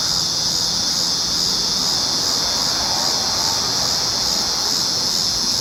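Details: Steady, high, sizzling drone of cicadas recorded July 19, 2019, with no break in the sound and only a faint low hum beneath it.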